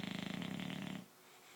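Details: Sleeping dog snoring: one rattling, buzzy snore of about a second, made of rapid regular pulses, then quiet room hiss.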